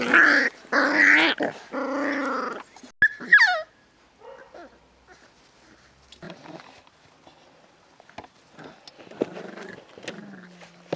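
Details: Seven-week-old Beagle puppies from one litter: loud harmonic yelps and growly whines in the first seconds, a sharp rising squeal near three seconds, then quieter scattered whimpers and shuffling.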